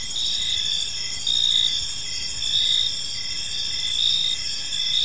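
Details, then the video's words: Crickets chirping on an evening in a peaceful park, a dense high chorus of several insects with steady trilling bands and a lower pulsed chirp repeating roughly once a second over faint low background noise. "Cricket Sounds in a Peaceful Park"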